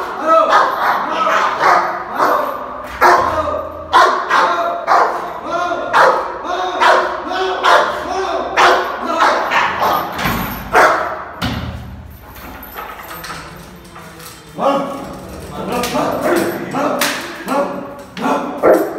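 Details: An angry Rottweiler protecting its owner in Bihar, India, barks in loud, harsh bursts, roughly once a second, with people talking nearby.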